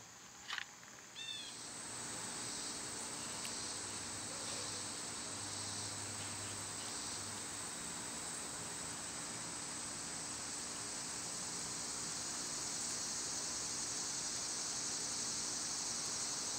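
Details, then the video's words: Summer cicada chorus. A shrill, sizzling drone swells gradually louder and fuller over the stretch. It follows a brief chirp near the start, with a low hum in the background. "Birds & Squirrels w/ Cicada sounds"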